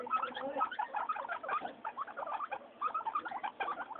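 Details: Happy pet guinea pigs, three of them named Mayumi, Archie and Miyuki, during weekly floor time: quick high squeaky chirps in clustered bursts, a lively chatter with brief pauses between groups.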